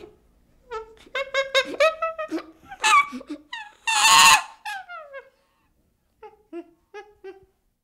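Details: Baby chimpanzee giving a run of high, squeaky whimpering calls with bright overtones, rising to a loud, harsh scream midway, then going quiet before a few softer, brief squeaks.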